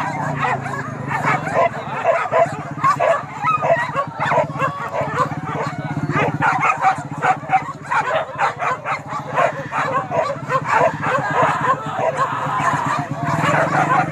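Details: Hunting dogs chasing wild boar in Kayu Ampek, Tanjung Emas, Tanah Datar: continuous excited barking from a pack, sharp repeated barks crowding each other over steady low rumbling background noise and some human speech.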